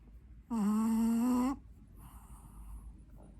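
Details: An 8-month-old Pekingese dog asleep gives a single drawn-out, tonal, whistling snore lasting about one second. It holds a steady low pitch with bright overtones, then a soft breathy exhale follows in an otherwise quiet room.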